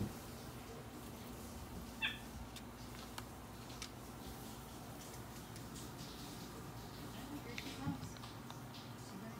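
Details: A baby long-tailed (Java) macaque, believed to be a young male, gives brief, high, cat-like mewing calls over background chatter while playing and chasing a green monkey and a capuchin indoors in a hotel.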